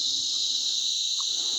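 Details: In green jungle along the Rudranath trek in the Uttarakhand Himalaya, a dense chorus of crickets makes a continuous, shrill, high-pitched ringing, with one soft, short bird note beneath it.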